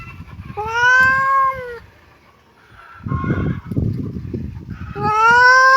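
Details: Kitten meows. Two long, loud, clear cries open and close the clip, each sweeping slightly up and then down. A softer, rougher call with some rustling fills the gap between them.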